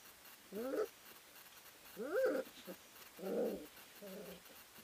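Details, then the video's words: Three-week-old Ari x Grace puppies wrestling and playing in a kennel whelping house; four distinct squeaky, wavering whines and yelps, rising and falling, spaced about a second apart in a quiet room. "Three Week Old Puppies Wrestling and Playing"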